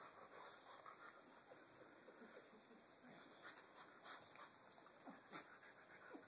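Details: Chewy and Tucker, two pet dogs playing with their rope, pant in quick breathy puffs, with soft whimpering noises and light scuffles, while a steady high background hum runs throughout.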